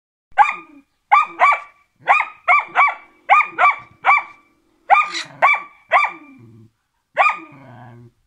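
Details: Karelian Bear Dog named Rex barking during training: sharp, repeated barks in quick pairs and bursts, with short gaps between volleys and some faint rustling between them.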